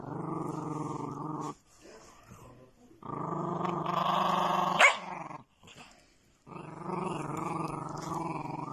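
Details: Domestic pet dog growling in three sustained low rumbling bouts of about a second and a half to two seconds each, harmonic and steady, separated by short quiet gaps with faint handling noises; a brief sharp higher sound cuts into the middle bout.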